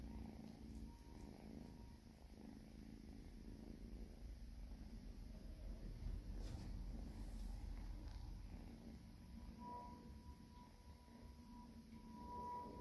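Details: Purring from Oscar and Oliver, two house cats, during feeding; continuous deep, throbbing purr with rhythmic pulses, plus faint higher tonal hums near the end.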